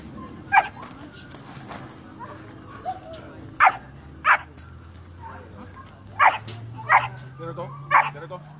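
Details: German Shepherd puppy, 12 weeks old, doing rag and bite work; sharp barks, seven bursts spaced irregularly over about eight seconds, with a person's voice and low rumbling background between them.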